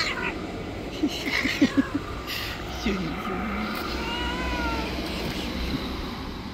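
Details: Angry white street cat described as a bully of other stray cats; a low drawn-out growling meow rises and wavers in the middle, with short clicks and traffic hum behind.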